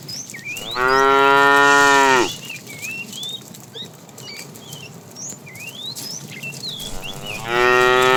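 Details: Roaming the road for food, tame cows moo twice: a loud, drawn-out, harmonic call, then another rising at the end, while birds chirp and whistle throughout.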